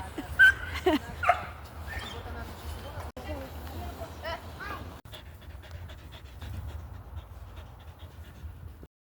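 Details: Dog reacting after seeing a squirrel: a few short, high whines in the first second and a half, then steady panting and rustling, while a person speaks excitedly nearby.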